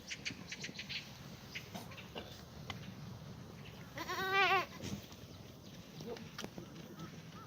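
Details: A black goat in a farm exercise yard in Gimhae, South Korea, on a clear Tuesday morning in April 2019 gives one loud, trembling, nasal bleat lasting under a second over quiet rustling and faint background calls.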